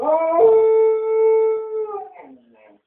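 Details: A domestic dog at a window gives one long, steady, even-pitched howl that breaks upward at the start and trails off into a lower, wavering whine.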